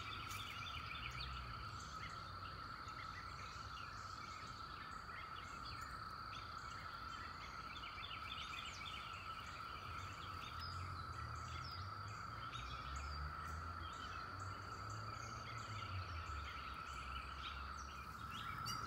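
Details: A dense chorus of 17-year cicadas forms a steady, unbroken droning whine among flowers at the end of May.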